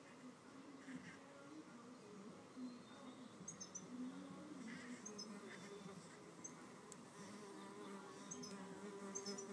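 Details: Red mason bees fighting with pushing, shoving and biting to hold a nest cavity among mud-walled cells. A low droning buzz wavers and rises in short surges, with faint ticking and scraping sounds.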